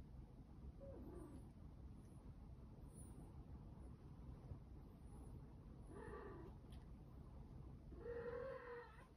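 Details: Domestic cat indoors, reacting to another cat grooming it; three faint, drawn-out tonal cries with a slightly wavering pitch, the last the longest and steadiest, over a steady low hum.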